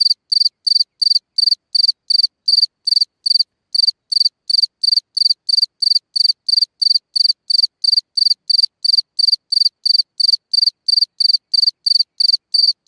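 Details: Singing cricket at night at its hole in the ground, a long unbroken series of sharp high chirps, close to three per second, with one short gap partway through.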